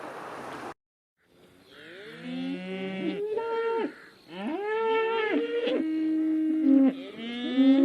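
A cow moos several times back to back, each call long and nasal, swelling upward then holding for one to three seconds; a short noisy burst comes first.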